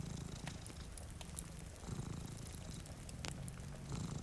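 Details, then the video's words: Cats sleeping by a rainy window purr with a low vibrating rumble that swells and eases in slow waves, accompanied by crackling firewood and a gentle wash of rain. "Purring Cat"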